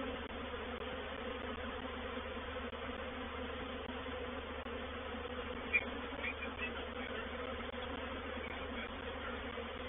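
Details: A reproductive honey bee swarm entering a swarm trap at Painted Peacock Manor on 04/07/21; a continuous, thick humming buzz, with one brief click midway.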